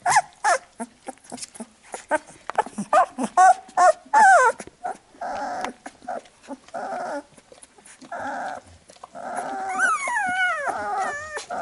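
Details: Labrador Retriever puppies whimper as their mother cleans them after nursing. Rapid licking clicks and short squeaks come first, then steadier nasal whines. A long, high, quavering squeal falls in pitch near the end.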